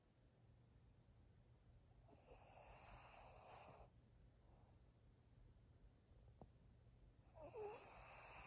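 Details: Senior fawn female pug Maria, aged thirteen, Japan, October 2023: a long, breathy, hissing snore lasting nearly two seconds, a quieter stretch, then another raspy breath with a brief squeaky whistle, over a steady low room hum.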